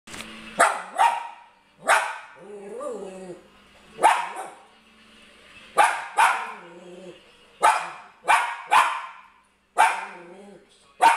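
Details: Papillon dog indoors, barking from excitement while watching a TV show: sharp single and doubled barks at irregular intervals, with television voices and sounds between them.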